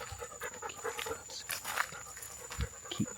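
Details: A travellers' dog held back while they search for elephants near an African national park, panting softly in short irregular breaths, with a steady high insect-like whine and faint rustling.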